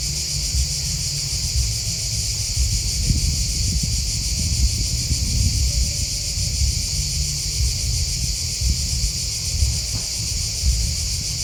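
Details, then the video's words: Crickets chirping in a steady, continuous high-pitched trill with several layered bands, a constant chorus with no pauses, over low rumbling background noise. "Crickets Chirping Sound"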